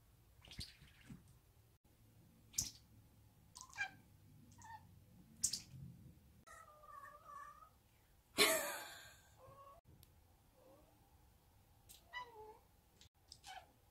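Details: Indoor chattering from a five-month-old odd-eyed short-legged female Munchkin kitten excited by a toy; brief high chirps and a few bending, mewing tones come irregularly, with one loud rustling burst and quiet human speech.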